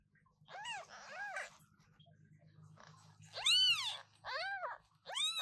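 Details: Newborn British Shorthair kittens calling loudly, several high arched meows in two bursts, the later ones stronger and shriller, over a faint low humming background.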